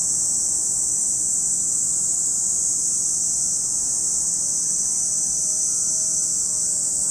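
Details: A continuous high, hissing cicada chorus at Lake Kamo, Sado City, Niigata Prefecture, Japan, never pausing, while faint low humming tones, possibly an engine, drift underneath.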